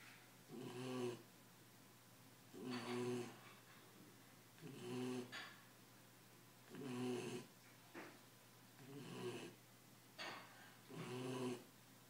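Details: Exhausted ten-week-old Belgian Malinois puppy snoring in sleep: six regular rasping, low-pitched snores, one roughly every two seconds, each a breathy buzz with a soft hum, in a quiet room.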